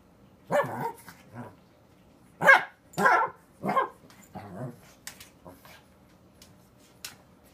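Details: A Pekingese puppy gives a string of short, high, yappy barks, several in quick succession.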